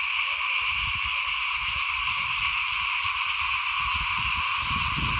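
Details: Frogs calling in front of a house at rice sowing time in 2021, a steady dense chorus of buzzing, trilling notes layered in several pitch bands, with low rumbling wind or handling noise underneath.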